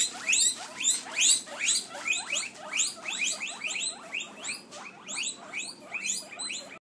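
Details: Hungry guinea pigs, several animals, squealing in rapid, rising high-pitched wheeks that sweep upward and repeat more than twice a second in overlapping bursts, loud and steady throughout with no other clear sounds.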